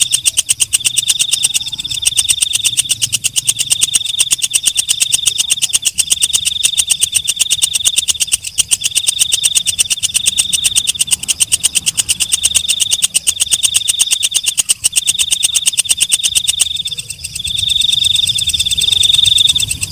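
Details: Walang kecek katydid singing at night: long bursts of high buzzing trill, each a second or two, separated by short gaps, over a constant fast ticking of rasping pulses, ending in a smoother sustained buzz.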